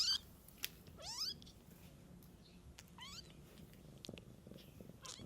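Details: Cat with kittens in nature, the mother caring for her young from birth. Thin, high mews sweep sharply upward in two or three bursts, over a faint low hum and soft background rustle.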